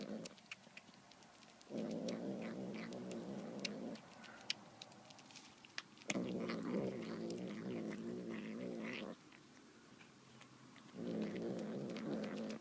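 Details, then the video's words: Indoor domestic cat eating tuna with demonic-sounding vocalizations: three long, coarse, low growls of two to three seconds each, separated by quieter gaps filled with small clicks and eating noises. "Cat making demonic sounds eating tuna"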